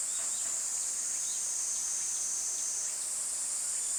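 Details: Summer cicada chorus, a continuous piercing electric hiss held at one high pitch without pause, its tone shifting slightly upward about three seconds in, with faint soft chirps in the background.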